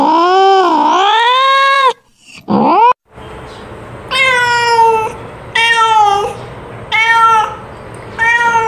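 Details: Domestic cat, a female calling a companion for mating; a long dipping, wavering yowl and a short rising cry open, followed by four shorter meows about every 1.4 seconds over a faint background hum.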